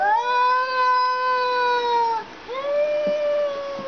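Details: Two male house cats, related, in a tense standoff, one sitting in the other's spot, trade long, drawn-out moaning yowls: the first steady and slowly falling, the second rising then holding.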